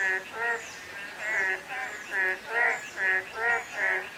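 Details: Chorus of frogs in drizzling rain, throaty layered croaks repeating in quick irregular bursts, several voices overlapping, set against soft continuous rain hiss and occasional faint high sliding whistles.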